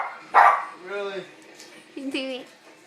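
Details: Dog barking at a man sneezing: a sharp sneeze burst, then short tonal barks and a yowling bark near the end, with a man's voice speaking afterward.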